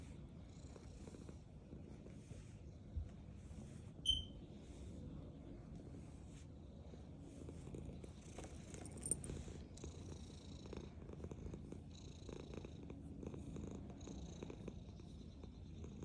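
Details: Black domestic cat purring while eating food, a soft low rumbling purr running steadily beneath small clicks and chewing noises, with a brief sharp tick near the fourth second.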